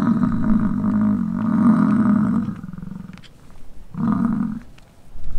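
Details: Rutting American bison in Wright, Wyoming, giving a drawn-out, rumbling lion-like roar of nearly three seconds, followed after a pause by a shorter growl; low outdoor noise underneath.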